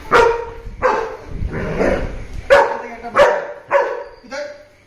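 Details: Two pet dogs, a German Shepherd and a Labrador, greeting after ten days apart, give a run of six sharp barks and yelps about every half second, each tailing into a whine, with music behind.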